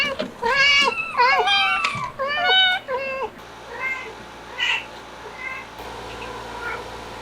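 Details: Stray cat family with kittens in hot summer weather, given an air conditioner; a rapid burst of overlapping, bending meows crowds the first three seconds, then thins to scattered softer cries against low background hum.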